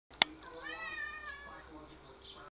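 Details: Three-year-old male Ragdoll cat, a housecat, chattering as he comes in from the back garden: a sharp click, then a wavering, drawn-out meow that rises and falls, with a brief higher chirp at the end.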